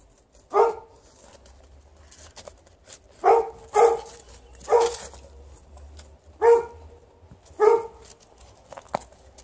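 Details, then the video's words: Alaskan Malamute outdoors with a Golden Retriever, digging, rolling and playing and refusing to come in; six deep, loud barks in irregular bursts, two of them close together, with light rustling between. "Digging, rolling, barking, not coming in - Alaskan Malamute & Golden Retriever outside"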